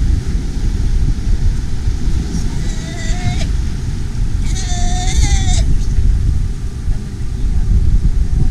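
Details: Galapagos sea lion pups waiting in tide pools and on a beach in the Galapagos Islands, calling for their mothers to return with milk; two drawn-out, wavering bleats with rich overtones over a constant heavy roar of surf.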